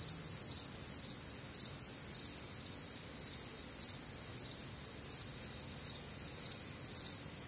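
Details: Night-time crickets on a humid Midwestern summer evening, many insects chirping together; piercing high pulses repeat about twice a second over an unbroken shrill trill, with a quiet low background murmur.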